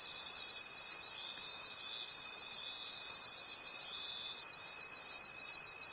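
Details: A high, dense cricket chorus from a forest at night, shimmering trills pulsing in waves about twice a second over a faint steady whine.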